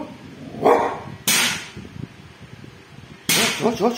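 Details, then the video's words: Bull the dog barks at a thief: two abrupt, noisy barks about two seconds apart, with a short voiced sound before the first and a rising voiced sound after the second. "hôm nay bull biết sủa ăn trộm rồi nhé"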